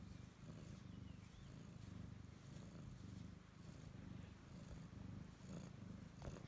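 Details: Siamese cat, a pet that stays close to its owner, purring steadily: a continuous low rumbling drone with a faint pulsing texture that runs the whole stretch without a break, in a quiet indoor setting.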